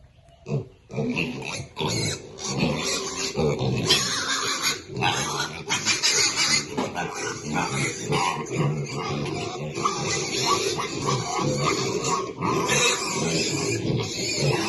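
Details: Happy baby pigs at their food, a dense and continuous mass of rough grunts, snuffles and squeals with scraping feeding noise throughout.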